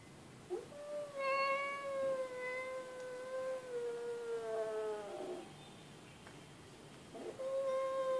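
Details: Pet cat producing two drawn-out meows, the first lasting over four seconds with a gently wavering, slowly falling pitch, the second starting after a pause; faint background hiss throughout.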